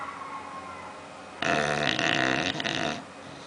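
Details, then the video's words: One drawn-out, grating snore from Oliver the bulldog as he sleeps and dreams, rough and gurgling for about a second and a half after soft background hush. "Meu bulldog roncando"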